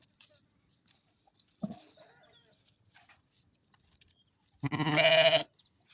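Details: Mother sheep on a farm: a soft low murmur first, then one loud, harsh, wavering bleat lasting under a second near the end, with quiet background otherwise.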